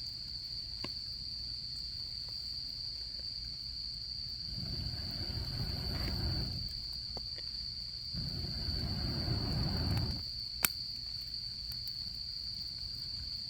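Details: Autumn camping scene with a campfire: insects keep up a steady, piercing single-note trill while the fire gives occasional crisp pops and two drawn-out, low whooshing surges of noise.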